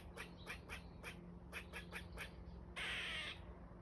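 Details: A squirrel gives a steady series of short, sharp barking chucks, roughly four per second, then breaks off into a loud harsh rasping screech near the end.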